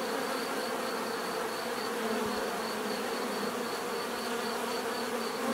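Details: Dense humming of many bees in a steady drone, with a faint high, softly pulsing tone running beneath the buzz.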